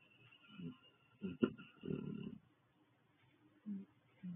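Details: A bonded, mated pair of maned wolves snore softly while cuddling and snoozing together in their den box overnight, with low, rough breaths rising and fading in uneven bursts.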